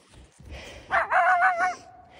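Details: A dog walked in Alberta, Canada, barks protectively at a lone coyote, a sharp bark stretching into a wavering, whining cry; the coyote howls back and more unseen coyotes howl from the woods.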